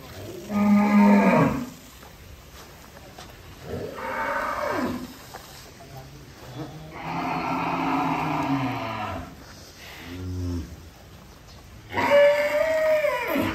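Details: Giant cattle unloading from a truck at Bintang Tani Farm in Indonesia, giving four long, loud moos spaced a few seconds apart, some deep and rumbling, others higher and strained, with quiet yard noise between.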